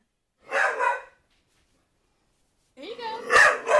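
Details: Pet dog NuNu barking while chasing a soccer ball indoors: a short broadband bark burst, a pause, then a second louder bark mixed with a woman's coaxing voice.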